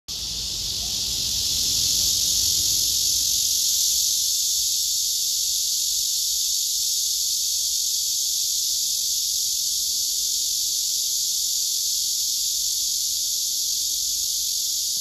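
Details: Male cicada singing on a tree trunk among other cicadas, filmed with a phone: a dense, steady buzzing hiss held high and continuous throughout, swelling slightly in the first two seconds, with faint low background rumble.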